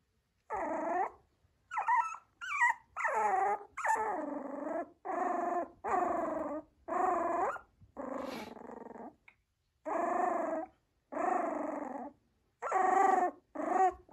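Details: Yorkshire Terrier indoors: a run of drawn-out, throaty growling whines in separate bursts of about a second, some rising into higher yelping tones, with short pauses between.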